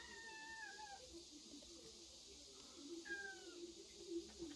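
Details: Kittens in a woodpile, recorded August 16, give two high, thin meows about two seconds apart. Each is under a second long and slides downward, over a steady low hum.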